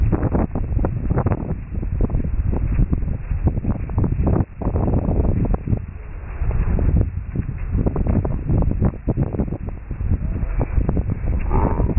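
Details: Heavy wind buffeting a microphone outdoors, with rumbling gusts and rustling throughout, and no clear animal sound.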